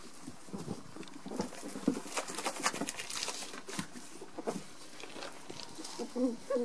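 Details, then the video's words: Two ferrets fighting, getting intense: scuffling patter with short hissy bursts and soft squeaky chatters scattered through, a few brief higher squeals near the end. "Fighting ferrets .....it gets intense!"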